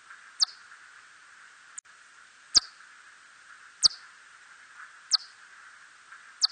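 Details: Hodgson's bat gives brief, high, steeply falling chirps, spaced about a second and a half apart, in a 2020 recording.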